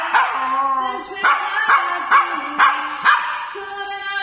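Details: Dog singing with music, holding long, level howled notes that step between pitches and drop away, while regular musical beats sound about twice a second.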